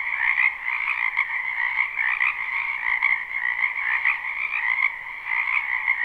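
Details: Springtime frog chorus from a backyard wetland, captured live with no looping: a thick wall of vibrating croaks in two pitch layers, punctuated by brief louder bursts from nearer callers.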